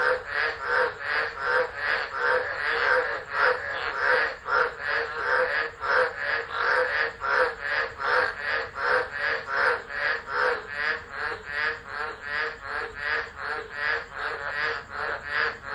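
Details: Tropical frogs calling during a tropical low storm in December at Driver, Northern Territory, Australia, recorded on a phone left on the ground; dense pulsed croaking chorus, about 80 rhythmic pulses per minute, throaty and mid-pitched.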